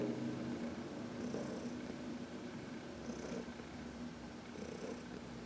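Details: On March 19, 2021, a contented 14-year-old senior cat purrs while being massaged in the sunshine. The continuous, low rumbling purr holds steady throughout, with faint brushing sounds of hands in the fur.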